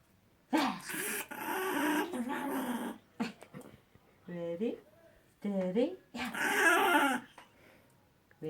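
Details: Puppy making baby noises indoors: long, wavering whines and squeaky, rising-and-falling yelps alternate with rougher, growly vocal stretches of a second or two each.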